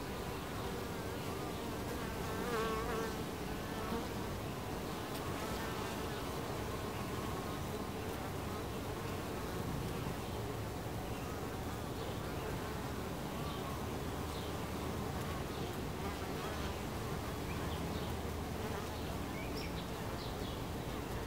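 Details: Honey bees swarming around their hive entrance produce a constant, layered buzz with a low drone, while fainter wavering higher tones come and go over the steady hum.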